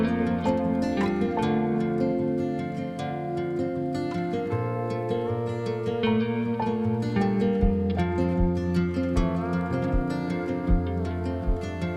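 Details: Plucked string music with harp-like notes and a steady low bass plays throughout, with no animal sounds heard.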